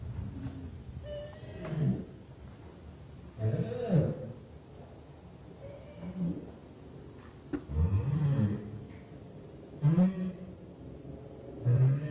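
A female North Atlantic right whale gives low, groaning, moaning calls from a courtship group, repeated every couple of seconds.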